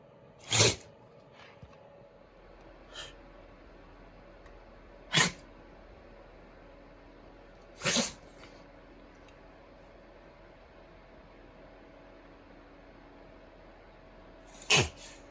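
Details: Kotaro, a male rescued Shiba Inu with a pollen allergy, in a fit of sneezing and reverse sneezing. Four short, sharp explosive bursts with long quiet gaps, the third slightly longer, over a faint steady hum.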